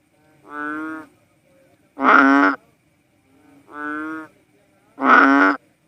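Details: Cowsound frog, the Philippine banded bullfrog: four buzzy, cow-like bellows, soft and loud notes alternating, each lasting about half a second with short silent gaps.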